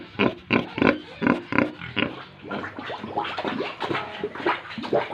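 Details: Pigs and piglets on a farm in Tripura: a run of short, rough grunts repeated about three times a second, in bursts, with softer overlapping grunting from several animals later on.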